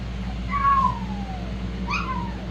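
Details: Shih-poo puppies from the Xena litter: two thin, high whines, each sliding downward in pitch. The first is drawn out, and a shorter one follows about a second later. A steady low hum continues throughout.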